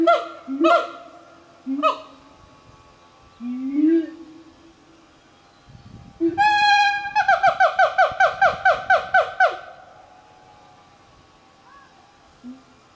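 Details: A family of five siamangs (Symphalangus syndactylus) in forest in the Highlands of North Sumatra, Indonesia, sing loud hooting whoops and rising notes, then a rapid run of ringing barks.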